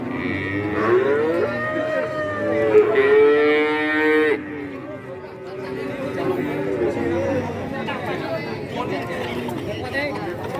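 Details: Cattle at the Kajen cattle market, Pekalongan, Central Java, held on Wednesdays; several rising and falling moos overlap, one long harmonic-rich bellow around the middle, with crowd voices in the background.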